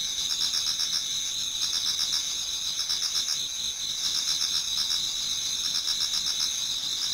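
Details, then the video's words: Towards dawn in autumn, numerous insects sing in a Japanese garden: high ringing trills hold steady while quick beaded pulses repeat several times a second, forming a thick, constant chorus. "Autumn Insects voice Towards dawn"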